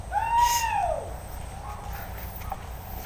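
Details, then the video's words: Hunting dog released to chase wild boar through bushes; a single arched, tonal yelp rising then falling, with a low rumble of background noise beneath. "SUARA ANJING BERBURU BABI HUTAN - WILD BOAR HUNTING"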